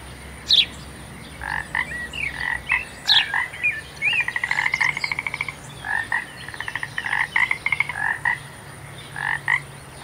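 Frogs calling with short, bright chirps and rapid clicking trills, repeated in quick bursts.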